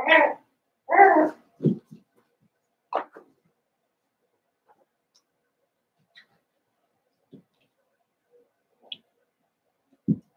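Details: Seven-week-old Cavalier King Charles Spaniel puppies from Daisy's litter in an indoor pen at the centre of a home: a few short, broad yelping bursts in the first two seconds and another near three seconds, then near silence with faint scattered peeps.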